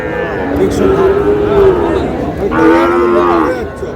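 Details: At a Tangail cattle market on 20 August, Sahiwal bull calves low twice: a long, steady moo, then a second, louder and harsher bellow that slides slightly downward, with buyers and sellers talking in the background.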